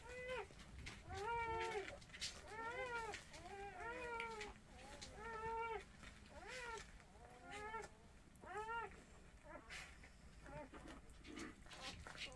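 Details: Motherless mixed-breed puppies during bottle-feeding keep up a steady run of rising-and-falling whimpers, close to one a second, softer toward the end over faint background rustle.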